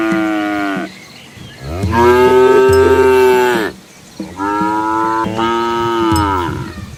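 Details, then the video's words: Asian village cows walking with their calves along a rural road among rice fields, giving three loud drawn-out moos, each slightly arched in pitch and separated by brief pauses. "Daily Life of Asian Village Cows on a Scenic Country Road | Calm Farm Life - Animals - Cow Sounds"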